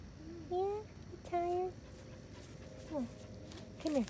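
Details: Vizsla named Ruby during a game of fetch, giving four high, tonal whines: two level, drawn-out ones near the start, then two shorter whines sliding downward, with a person talking to the dog between them.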